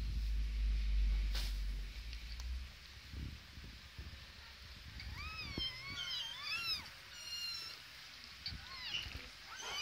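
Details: Kittens giving a run of thin, high meows in the second half, each cry arching up then down with clear overtones, closely spaced, and one more short cry at the very end, after an opening of low rumbling background noise.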